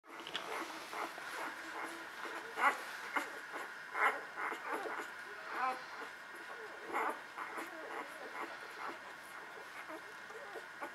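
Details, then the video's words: Newborn puppies from the Beretta and Jericho litter nursing: brief, high squeaky whimpers at irregular intervals over a steady background hum, with faint low voices in the room. "Beretta Jericho Newborns Nursing"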